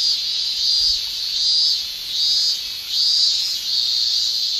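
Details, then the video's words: Male cicada tymbal song in a Japanese summer: loud high shrill phrases swelling and fading in a regular rhythm, about one pulse every second, over a steady background drone. "Japan Summer Cicada Shrilling"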